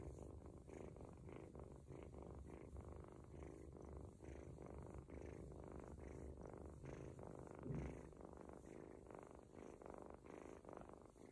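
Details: Ginger kitten, an adopted young male, purring during a stomach massage that helps him relieve himself, nearly falling asleep; continuous low rumbling purr pulsing in a fast even rhythm, quiet room.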